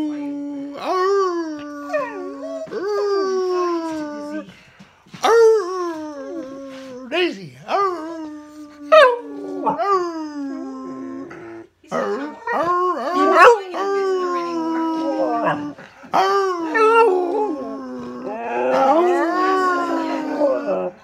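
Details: Singing dog howling in long, steady mid-pitched tones that sometimes slide upward, in phrases of several seconds broken by short pauses, ending in rougher, wavering notes.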